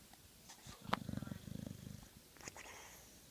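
A sleeping Old English Bulldog gives a deep, vibrating snore, a rapid pulsed rattle that lasts about a second before fading. A sharp click comes just before it, and faint room sounds follow.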